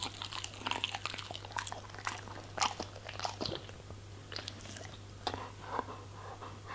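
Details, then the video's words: Crisp, crackling crunches as a German Shepherd bites into vegetables and fruits, arriving in quick uneven clusters with brief wet smacks, set against a constant faint low hum. "German Shepherd Eating Food ASMR - Vegetables & Fruits"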